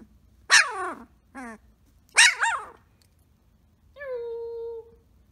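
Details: Samoyed puppy named Blue Boy, from the Rose X Rider litter, playing and making awooo noises: two harmonic, sliding yelps, a short bark, then a steady, slightly falling drawn-out roo lasting about a second.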